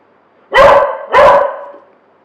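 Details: Domestic dog giving a watchdog bark, the kind heard when the doorbell rings; two loud, clipped barks about two-thirds of a second apart, with a quiet background.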